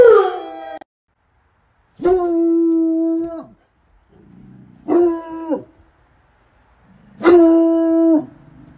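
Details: Bloodhound howling, said to happen mostly when excited and used for communicating: three separate drawn-out, steady, rich harmonic howls, each about one to one and a half seconds, with silent gaps between them.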